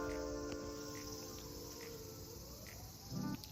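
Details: Cicadas calling outside an apartment in Japan during hot weather, described as really noisy: a steady, high-pitched buzzing drone runs throughout, with a faint low indoor hum underneath and a brief dull knock near the end.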